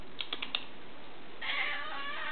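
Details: Pet kitty indoors giving a short meow said to sound like "momma", a faint harmonic call rising late in the clip after several sharp tapping clicks, with quiet room hum throughout.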